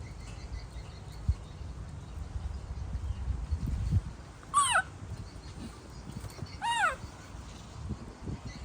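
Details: Baby monkey in a tantrum when its mother walks away, giving two loud, shrill, arched cries that rise then drop steeply, about two seconds apart, over a bed of low rustling and handling noise.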